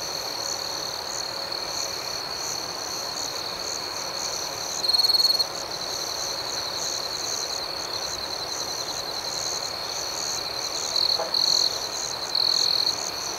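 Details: Nighttime crickets keep up an even, high shimmering chorus; a closer one breaks in with a loud shrill trill early on and three more short bursts near the end.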